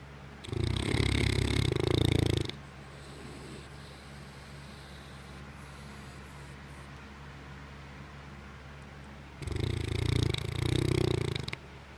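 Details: Hurley, a sleeping English Mastiff, snores heavily: two long, deep, rasping snores of about two seconds each, roughly seven seconds apart, with quiet breathing in between.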